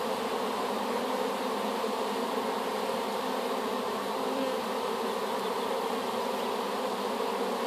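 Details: Honey bee swarm, just collected from an apple tree and newly placed in a hive, giving a steady dense hum with layered drones between low and middle pitches, constant in loudness throughout with no other sounds.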